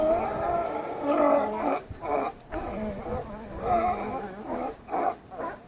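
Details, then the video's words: Sea lions giving loud, hoarse, drawn-out calls in repeated bursts about a second long, separated by short quieter gaps. "Sea Lions/ lwy morskie"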